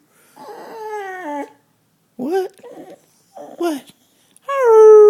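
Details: Roxie, a female pet dog, howling like a fire engine siren indoors: drawn-out harmonic howls in several bursts, the first sliding downward, middle ones wavering up and down, the last rising and held strongly to the end.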